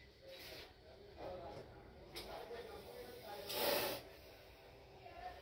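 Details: Spectacled cobra during a rescue and release by a snake rescuer in urban Bangalore South, India: breathy, broadband hissing bursts, one loudest and longest around the middle, with people talking nearby throughout.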